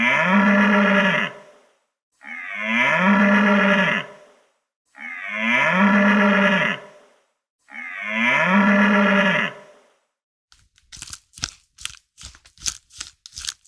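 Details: Cow mooing: four long, drawn-out, low moos of about two seconds each with short gaps between, followed by a quick series of sharp knocking clicks.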